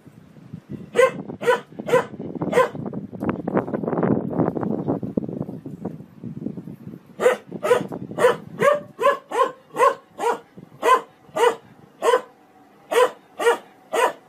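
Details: Dog barks from a funny barking compilation: three clear barks, then a burst of scratchy mixed noise, then a long steady series of sharp repeated barks at about two per second.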